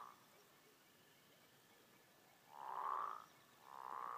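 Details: Several American bullfrogs (Lithobates catesbeianus) sing, giving deep, resonant advertisement croaks in slow, drawn-out bursts.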